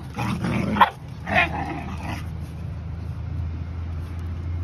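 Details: Puppy making two quick, rough barking yelps within the first two seconds, then only a steady low hum of background noise.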